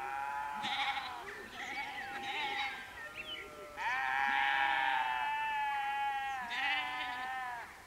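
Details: Sheep near Canons Ashby, West Northamptonshire, UK, during a golden sunset: several loud, nasal bleats overlap, some short and rising, one long and sustained with a steady tremble, then a final rising call, outdoors with little other noise.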